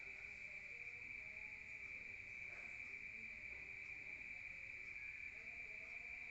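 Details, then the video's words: Night crickets in a rural setting, listened to from inside a room, keep up a continuous piercing high trill at an even level, over a quiet low background hum. "Rural Nature Sound of crickets at night heard from outside"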